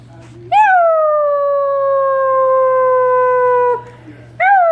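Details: Basset Hound pups howling along with a person: a long, steady howl that sags slowly in pitch, then another starts.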